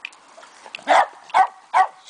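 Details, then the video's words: Two-month-old Fox Terrier puppy giving three short, sharp yips spaced roughly half a second apart, over a quiet background. "Fox Terrier Puppy"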